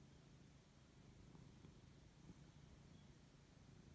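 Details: Low steady purring from Lexi, a male Siberian cat enjoying a fuss as he wakes up; an even deep rumble with faint background hiss.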